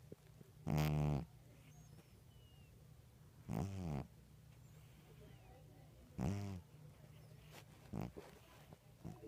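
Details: Sleeping cat snoring: four rough, harmonic breath sounds about half a second long, spaced roughly every two and a half to three seconds, over a steady low hum.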